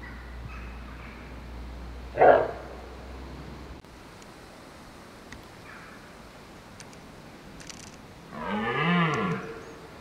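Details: Wild red deer stag in woodland during the rut, holding his hinds: one deep, harmonic roar of about a second swells near the end, after a brief sharp call and a quiet stretch of woodland background.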